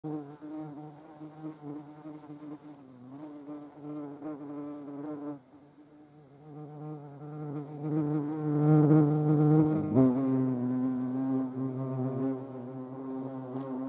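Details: European hornets (Vespa crabro) giving a steady, low droning buzz with a deep hum and stacked overtones, wavering in pitch and swelling louder midway before settling into a slightly lower, even drone.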